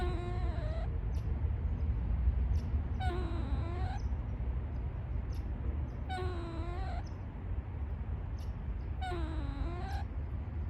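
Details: An eastern gray squirrel in woodland, apparently in Canada, gives drawn-out, wavering, moaning calls about every three seconds over a low rumble; their meaning is unknown, perhaps a warning or complaint.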